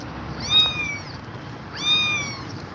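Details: Exhausted mother cat staying with her kittens: two high, thin meows with arched harmonics, the first at about half a second and the second near two seconds, over a steady hiss.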